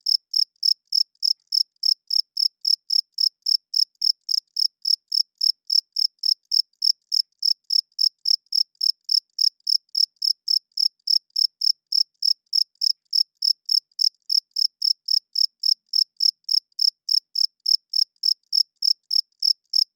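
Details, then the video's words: Male cricket calling loudly after dark to attract females and establish territory: a steady, metronome-like stream of shrill chirps, roughly three and a half per second, unchanging for the whole stretch with no other sounds. "Cricket Chirping Sounds - Cricket klinkt 's nachts luid"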